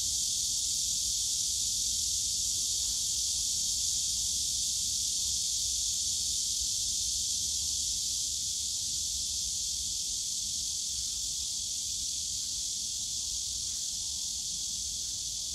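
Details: Summer cicada chorus in Yongsan Family Park's bamboo forest, a steady high-pitched sizzling drone lasting the whole stretch with only slight swells, over faint low-frequency park rumble.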